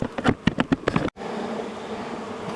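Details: Angry honey bee colony, long established inside the wall of a house, stirred up on the first day of a cutout rescue after dark; steady droning buzz fills the second half after several sharp knocks and handling thumps at the start.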